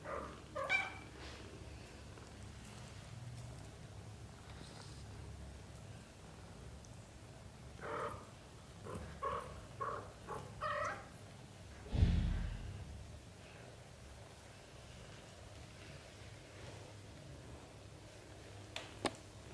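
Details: Kittens of a British Shorthair litter, aged 0 to 30 days, make a run of short, squeaky mews in quick succession midway. A loud low thump follows, with faint handling noise throughout.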